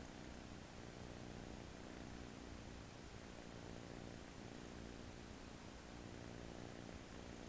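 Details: Relaxed American Shorthair kitten dozing on an owner's arm on day one at home; its snore is a quiet, deep, continuous rumble with gentle rhythmic swells and steady hiss in the background.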